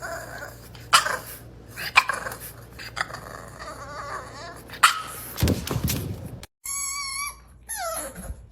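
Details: Indoor bulldog puppy from a compilation of pet bulldog puppies giving rough growls and short barks, then high, thin whining tones that fall in pitch near the end, over a low room hum.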